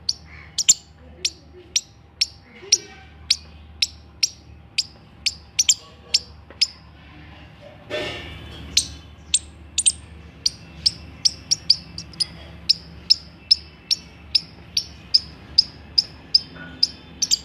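An Indian palm squirrel gives sharp, high chirps, repeated steadily about twice a second.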